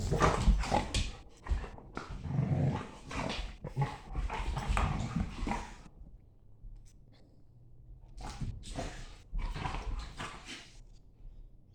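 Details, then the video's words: German Shepherd play-fighting with a Staffy in the morning: dense, deep rumbling growls and snorts for about six seconds, a quieter pause, then two more short growling bursts. "German Shepherd and staffy morning play fight and the weird noises they make"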